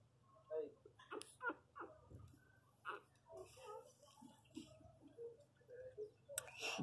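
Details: Playing Miniature Pinscher puppies give short, high squeaky whines and yips in quick, irregular bursts.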